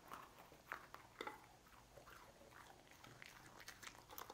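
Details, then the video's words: Dog eating cookies indoors, crunching and chewing in quick, irregular crackly bursts with soft clicks between bites, fairly quiet throughout. "Dog Eating Cookies"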